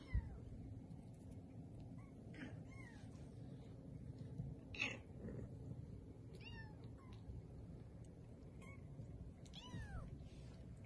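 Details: Playful Bengal kittens three weeks old, born 13 March 2020, at a cattery in Kalama, Washington; repeated short, high, downward-curving mews at irregular intervals, one sharp thump early, low indoor rumble throughout.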